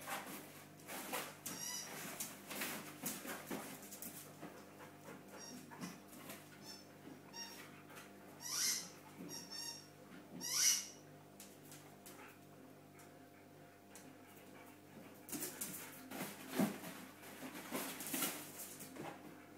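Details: Border Collies Wayne and Rose at play with a yellow cube give several brief high, tonal whines around the middle, set among clicks, knocks and scrabbling over a constant low electrical hum.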